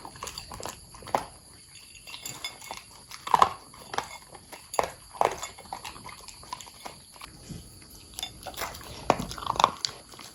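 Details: Long-haired corgi named Buding eating from his bowl indoors, with loud crisp crunching and chewing bursts at irregular intervals, sharpest near three, five and nine seconds, over a quiet room background.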